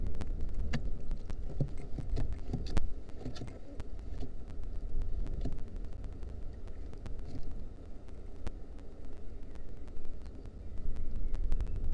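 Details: Low rumbling noise with scattered clicks and taps, like a vehicle or handling sounds; no animal calls stand out.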